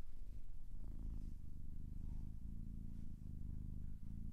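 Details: Domestic cat purring up close: a continuous low rumbling drone with steady pulsing, breaking briefly around the one- and four-second marks as the cat breathes, in a quiet indoor setting.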